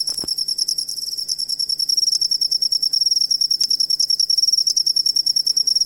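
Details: Cricket song meant as a master sound for training songbirds; a brief knock at the start, then sharp, high, evenly beating chirps, several per second, ringing with a strong overtone above.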